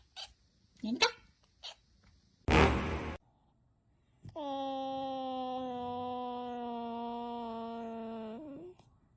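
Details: Cat (Felis catus), yowl.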